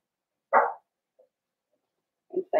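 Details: Cavalier King Charles Spaniel puppies in a home pen, being introduced to larger household dogs on December 13, 2022; a single sharp yap, a long quiet gap, then two quick clipped barks at the end.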